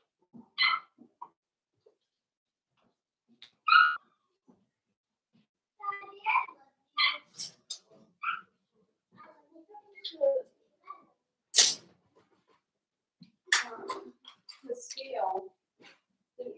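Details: Four-week-old Cavalier King Charles Spaniel puppies from Daisy's litter in their indoor pen give scattered high squeals and whines of varied pitch, broken by sharp clicks and knocks in a small room.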